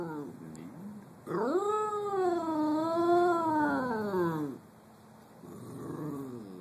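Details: Cockapoo named Nina Simone, a Cocker Spaniel–Poodle cross that likes to sing, holds a long wavering howl of about three seconds. The howl swoops upward, wobbles, then sinks lower, with fainter moaning before and after.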